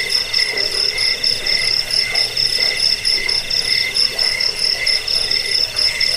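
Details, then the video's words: Cricket sound used to repel rats and as a bedtime and bird-training recording: continuous, insistent high chirping with evenly spaced pulses and overlapping trills, no other sounds. "Suara jangkik pengusir tikus pengantar tidur"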